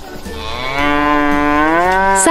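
A cow gives one long, drawn-out moo lasting about two seconds, rich and nasal, rising slightly in pitch toward the end, over a faint low pulsing hum.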